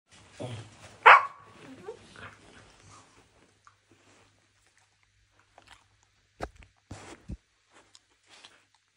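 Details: Husky puppy indoors pestering an older dog and biting its owner when scolded; one sharp, loud yelping bark with a falling tonal tail, followed by scattered soft rustles, thumps and a woman's voice.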